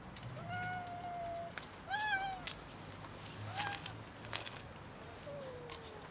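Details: Several cats waiting near a building to be fed and petted; clear tonal meows, one long level meow, a rising-falling one and shorter ones, with faint outdoor background noise.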